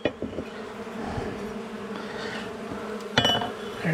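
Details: An angry honey bee colony disturbed during a house-wall cutout at dusk, March 6th: an even, sustained swarm hum with steady tonal bands, interrupted by scattered taps and a sharp clatter of tools partway through.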